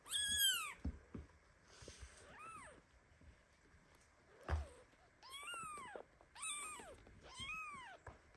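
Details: Baby kitten squashed under mother cat Basi, who lies down on top of her kittens, giving loud indignant meows: several high arched mews, rising then falling, in bursts of two or three, with soft rustling and bumps between calls.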